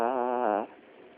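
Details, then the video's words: A sleeping pet Chiweenie, out cold while indoors, gives one drawn-out tonal snore lasting just over half a second, with a steady buzzy harmonic tone that swells slightly before cutting off into a quiet room. "Snoring Chiweenie"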